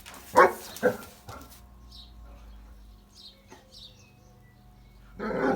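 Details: Large dogs barking: two loud, short barks in quick succession, then near-quiet with faint chirps, and a further burst of barking at the end.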